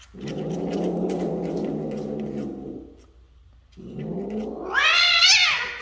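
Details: Breeding Bengal cats, a male and female expected to have kittens: low drawn-out growling yowl for three seconds, a pause, then another rising moan that climbs into a high wavering wail near the end.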